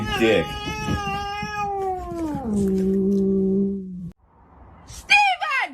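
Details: Domestic cat giving a long, drawn-out meow that holds steady, then slides down in pitch over about four seconds, followed by a pause and a short, sharp call.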